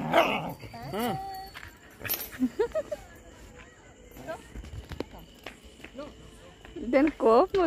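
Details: Dog from a cute puppy compilation making a series of wavering whines and short yips, bursts spaced irregularly over several seconds, with clicks and handling noise between calls.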